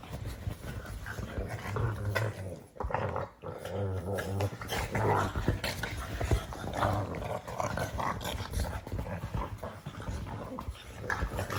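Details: Pug producing steady throaty grunting and wheezy snorting, low and raspy, with short breathy bursts tumbling one after another and only brief gaps.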